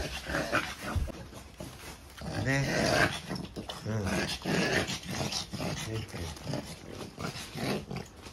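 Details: French Bulldog, ten months old, with diagnosed brachycephalic airway syndrome, heard indoors with rough, rattling, snorting breaths in quick uneven pulses, some gurgling and a short tonal wheeze, with faint human voice.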